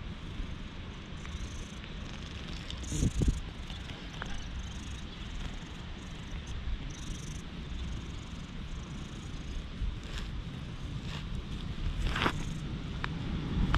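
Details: Stray cat clinging to legs in warm sunlight filtering through trees, filmed on a GoPro HERO8: steady low rumbling purr throughout, with rustling and handling bumps, plus brief clicks and knocks near the microphone.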